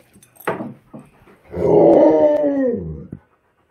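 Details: Tonka, a pet Alaskan Malamute caught trying to steal ice cream, gives a drawn-out, wavering howl-like 'woo' lasting about two seconds after a few short huffs, then falls silent.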